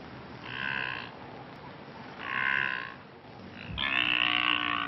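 Blue wildebeest giving three nasal, honking calls about a second apart, the last one longer and louder, over a low background rumble.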